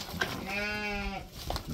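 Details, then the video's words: Registered purebred chestnut Santa Inês rams: one steady, nasal bleat with a clear buzzy tone, lasting under a second. It is framed by brief Portuguese speech and low background rumble. "Carneiros Santa Inês PO registrados, castanho."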